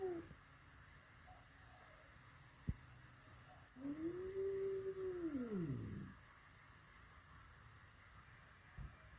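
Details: Indoor first meeting between a flat-nosed and a peak-nosed cat: a single soft yowl that rises, arches and drops away over about two seconds, with quiet background hiss before and after.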